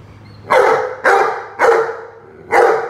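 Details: Rhodesian Ridgeback barking while playing with a watering can: four loud, broad barks about half a second apart, each with a short trailing tail, over a low steady hum.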